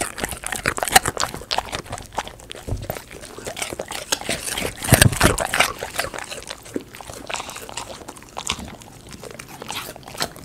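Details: A Golden Retriever eats raw sweet potato, giving wet, irregular crunches and smacking bites.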